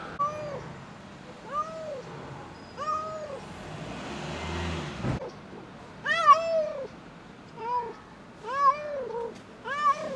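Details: Pregnant domestic cat having difficulty giving birth, protecting her kitten from a man trying to help: a series of arched, wavering meows repeated every second or two, with a burst of rustling noise midway.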